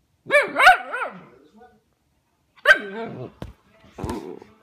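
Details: A Pomsky pup produces wobbling, yodelled howl-like sounds in short bursts with pauses between them. A later phrase is rougher and more growly, followed by a few clicks and scuffs.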